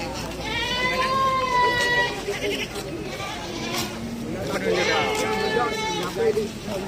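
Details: Goats at the busy Cot Iri goat market in Aceh Besar, Indonesia: a long wavering bleat early on, then further shorter bleats among a crowd of human voices and traffic rumble.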